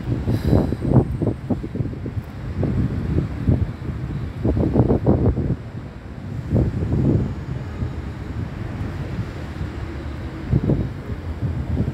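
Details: Gusts of wind buffet the microphone in uneven low rumbling bursts, with no animal voice heard.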